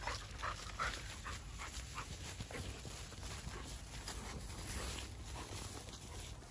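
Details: Labrador Retriever out on a group walk, straining to reach persimmons left only high on the tree, panting in quick breathy bursts over a steady low outdoor rumble, with a brief faint squeak early on.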